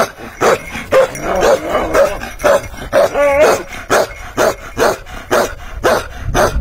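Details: Bakarwal dog barking in steady bursts of about two barks per second, loud coarse woofs with a few higher yelping notes mixed in around the middle.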